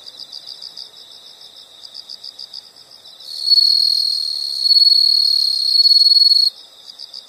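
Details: Insects in a soothing nature soundscape: evenly spaced soft high chirps pulse for three seconds, then a loud sustained buzzing trill swells for about three seconds and stops, the gentle pulsing continuing afterward.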